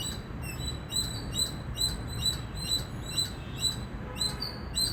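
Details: Loud chirping from an Indian squirrel: short, piercing, high chips repeated a little over twice a second, rhythm slightly uneven, against a soft low hum.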